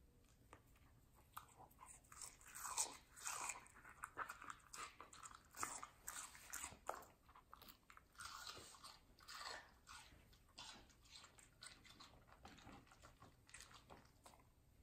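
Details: Middle, a medium-size female Samoyed, eating juicy watermelon indoors; loud wet crunching bites come in quick irregular bursts, several per second, with short pauses between mouthfuls in a quiet small room.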